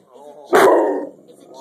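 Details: A Rottweiler afraid of a chicken baking in the oven lets out one loud, deep, gruff bark about half a second long, with a person's questioning voice heard softly just before it.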